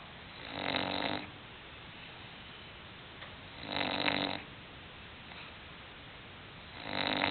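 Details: Sleeping English Bulldog indoors snoring: three rough, broadband snores, each lasting about half a second to a second, spaced roughly three seconds apart, with quiet breathing between.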